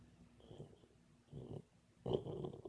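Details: Dreaming Boxer puppy in sleep: three short snuffling, snorting bursts separated by quiet breathing, the last one loudest and longest.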